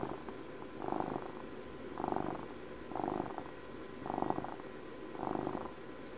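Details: Domestic cat purring, a steady low rumbling purr that swells and fades in slow regular cycles about once every second, each pulse soft and even, indoors with no other clear sounds.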